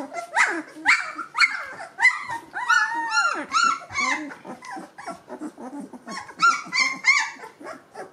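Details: Gordon Setter puppies at two weeks old, eyes and ears just opened, giving a steady run of rising and falling whines and squeaky yelps, several pups calling over one another.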